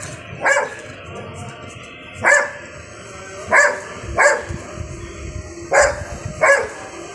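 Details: A Golden Retriever barks at a bird, giving short, sharp barks at uneven intervals, one or two seconds apart.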